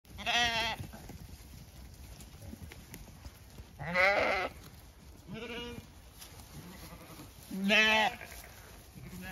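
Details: Zwartbles sheep flock on a regenerative farm in County Kilkenny, Ireland, galloping out a gate to fresh grass, leaving beet pulp pellets behind; four loud, wavering, harmonic bleats, spaced about every three to four seconds, over a faint outdoor background.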